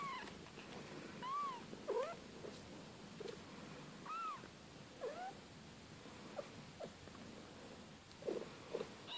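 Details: Siberian kittens, a litter born to Kate and Bessie, mewing in short, high arched cries spaced a second or two apart, some fainter squeaks between them, over a low background hum.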